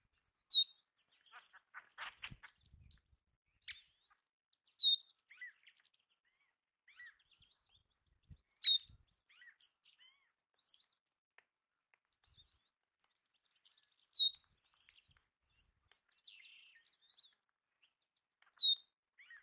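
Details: Belding's ground squirrels, known as sage rats or pop-ups, feeding on bird food give loud, piercing single squeaks about every four seconds, each a brief high slur, over soft bird twitters and light rustling.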